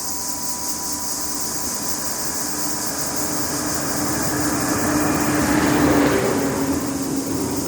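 A passing train rumbles and hums steadily, with broadband rail noise and no animal sounds.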